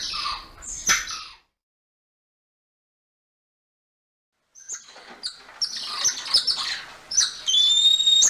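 Golden lion tamarin giving high, squeaky chirps and thin whistled trills after a brief silence.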